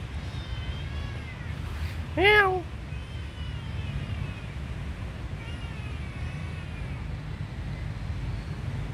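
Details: A small kitten, seemingly needing help, gives one short, loud, rising-then-falling mew, followed by fainter thin cries over a constant low background drone.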